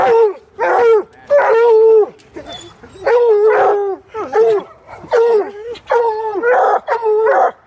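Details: Coonhounds with a squirrel trapped in a pig sculpture give long drawn bawling bays, each about half a second to a second, falling at the end, spaced irregularly with brief pauses.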